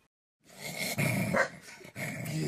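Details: A corgi named Lily, indoors and being told to give something back, growls in a low, rough, sustained rumble with a brief break near the middle, while a woman's voice scolds just before and after.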